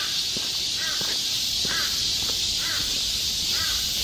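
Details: Galsan Park forest cicadas in summer, Seoul: their dense, metallic buzzing chorus runs steadily, while a crow repeatedly caws about once a second over the top.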